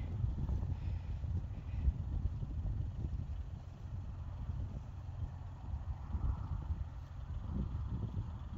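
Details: Low, buffeting rumble like wind on a microphone or a distant engine, with faint scattered thuds and no neighing or snorting.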